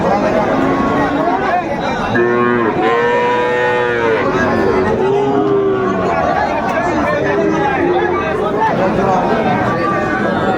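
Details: Bull calves of the Sahiwal breed at a busy Bogura cattle market in Bangladesh, 19 August 2024. Several overlapping moos, some long and wavering, others short, come in the middle seconds over a constant roar of voices.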